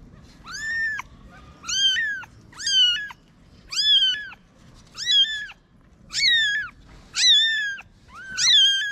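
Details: Stray mother cat with newborn kittens hidden in a paper box, Morocco; eight loud, clear meows, each rising then falling, repeated roughly every second in a steady series against a quiet background.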